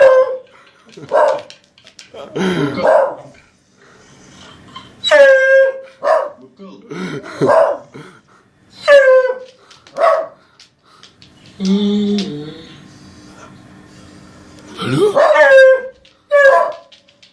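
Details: Dog making funny noises: about a dozen short, yowling whines, each sliding steeply down in pitch and ending on a held low note, in irregular bursts over seventeen seconds, with a few softer mumbling sounds between.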